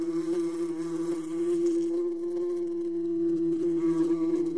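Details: Wasp buzzing in a steady, low, droning hum that holds one even pitch with rich overtones and only slight wavering in loudness throughout.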